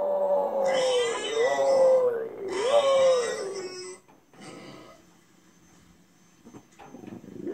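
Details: French Bulldog at home weeping in sympathy with a crying bulldog shown on TV; long, drawn-out whines that dip and swoop over about three seconds, then fade to quiet snuffling and faint sounds.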